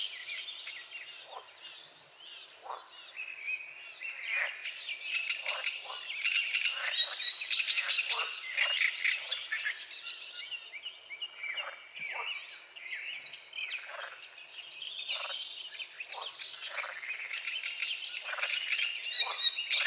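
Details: Morning frog chorus from a small forest-edge lake at dawn, with fog over the water: steady stuttering croaks pulse rapidly and unevenly, overlapped by busy twittering and whistling birds.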